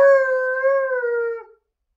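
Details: Alaskan Malamute, a female pet dog relaxing on the couch, gives a single steady, smooth howl lasting about a second and a half, holding a level pitch with rich overtones before fading out; nothing else is heard.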